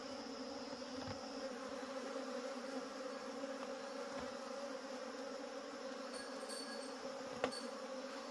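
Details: Wild honey bees buzzing during a wild honey harvest; a steady, dense droning hum with layered tones that holds throughout, broken by a few faint clicks and one sharp knock near the end.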